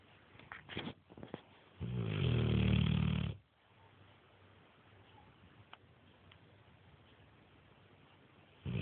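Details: Nero, a Neapolitan Mastiff, asleep and snoring: one loud, rough, low rumbling snore lasting about a second and a half near the start, with a few faint snuffles before it, then quiet room hiss.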